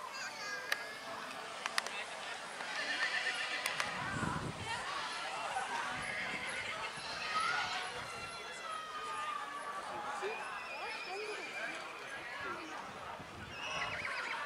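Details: Young Black Forest Coldblood stallion Dragan, a very dark foal, presented at the Kohlenbach foal show, 13.08.2022; wavering neighs recur across the recording, mixed with a man's loudspeaker talk, hoof clatter and background chatter.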